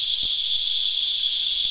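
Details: Brief stretch of a cicada chorus, the insects locally named Christmas Beetles, feeding on tree sap: a dense, even, high-pitched buzzing whine with no breaks.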